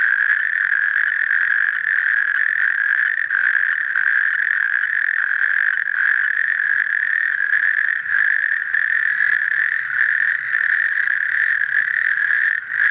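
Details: A natterjack toad calls (roepende rugstreeppad) with a loud, dry rattling trill, fast buzzy pulses merging into one sustained churr at even pitch and strength, with little else audible behind it.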